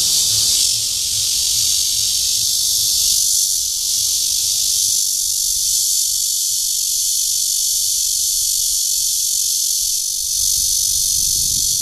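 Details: Red-veined bear cicada (Cryptotympana holsti) mating call from Guangming Park, Zhongli, Taiwan. A loud, shrill droning buzz that pulses and fades slightly in waves over twelve seconds, with low background rumble.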